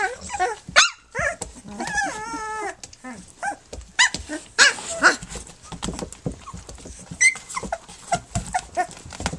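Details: Three-week-old puppies nursing and playing, with a drawn-out wavering whine early on, then scattered short high yelps and squeaks among rustling and handling sounds.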